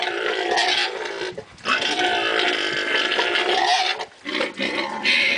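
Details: Wild boar (Sus scrofa) at Wildpark Peter und Paul wildlife park, St. Gallen, Switzerland, give harsh, raspy grunts and squeals in long rough bursts broken by brief pauses.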